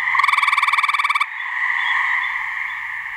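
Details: Gray treefrog in a New Hampshire swamp, one of two frogs, giving a mating call: a loud trill of about twenty quick, regular pulses lasting just over a second, then only the steady background chorus hum.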